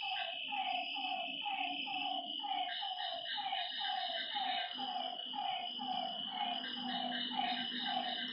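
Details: Frogs heard at night beside a lake, giving a rapid string of short falling croaks, about two each second, beneath a constant high insect whine and a low droning tone.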